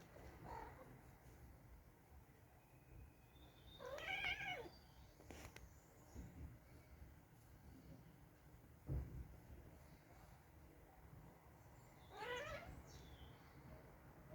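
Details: Domestic cats Nero and Dale argue over a bed indoors, Nero trying to make his brother get out; brief strained meows spaced several seconds apart, with thumps and soft rustling between them.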